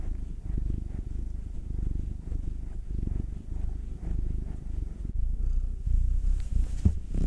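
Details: Pet cats purring under massage, Will the black male, nine, and Anzu the tortoiseshell Munchkin female, two; continuous throaty rumble growing slightly louder near the end, with a few soft rustles of handling.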